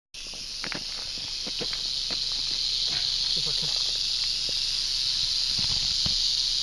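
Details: A wild western diamondback rattlesnake, found on a road in Arizona, gives a continuous, high, hissing buzz of a rattle that holds steady throughout, with faint footsteps and scattered clicks beneath.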